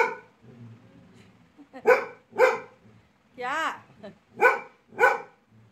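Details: Laizaqueen, a pet Labrador Retriever, angry after being bothered by a small toy: four loud, sharp, harmonic barks spaced irregularly, with a brief squeaky, arching tone between them and quiet indoor background.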